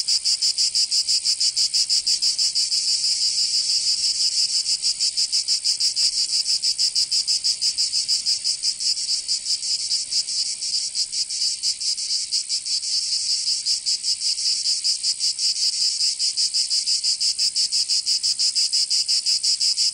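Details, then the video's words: Cicadas in Provence, southern France, in summer, keeping up an unbroken, piercing buzz for twenty seconds, its fast pulsing less even at times as several insects overlap. "Canto Cigarra 🦗 [ Escuchar les cigarras en verano 10 H]"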